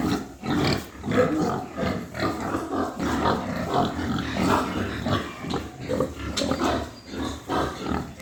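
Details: White pigs on a farm in Amdabad, Hooghly district, India, in the morning: continuous loud, rough grunting and snorting from several animals, pulsing in overlapping waves throughout.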